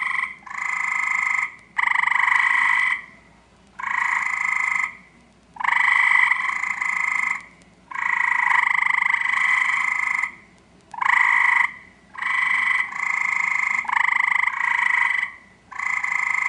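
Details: Eastern gray treefrog in a backyard seeking a mate, giving long buzzy trills of one to two seconds, nearly continuous with short pauses, overlapping series suggesting more than one caller, loud and clear.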